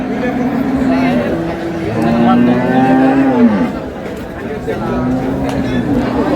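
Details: Cow with calf at Ambari market in Dinajpur, Bangladesh, on March 27, 2026, giving a long drawn-out low moo that swells and falls, with a shorter moo before and another after, over steady crowd chatter.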